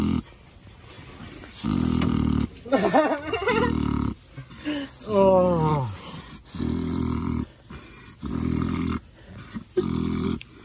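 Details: Pet pig named Ms Piggy falling asleep while being scratched, giving low, rumbling snore-like breaths in long blocks about a second each, with a person's gliding, sing-song voice cutting in between them.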